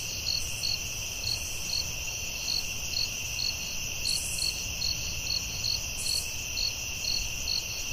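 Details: Night chorus of crickets in the forest, bright pulsed chirps recurring about three times per second above a continuous shrill hum, a few brief higher buzzes overhead and soft low background noise.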